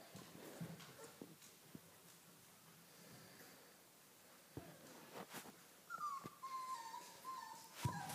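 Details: Puppies of the Dogo Argentino breed, quiet at first with scattered taps, then a sustained high whine that wavers and slowly falls over the final two seconds.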